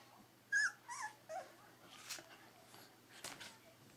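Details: A three-week-old Berger des Pyrénées puppy gives one bright, bending squeal followed by two softer whines, then muffled shuffling and small bumps among the litter.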